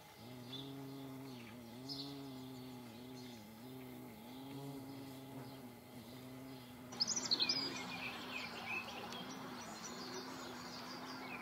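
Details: Paper wasps flying produce a low humming buzz rising and dipping in soft waves; after about seven seconds a louder rustling, crackling noise joins and continues over the drone.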